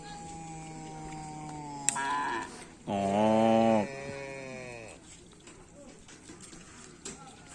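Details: Karapan Sapi racing bull of the Tim Bongkar Kalisari team during race training at Lapangan Asemanis field: one loud, rich, steady moo of about a second, with sustained tonal background sounds and music.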